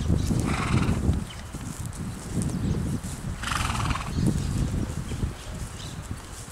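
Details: Foals worked in a TACA training exercise; a harsh, broken whinny bursts out near the start and again about midway, over steady low rumbling from movement and ground noise.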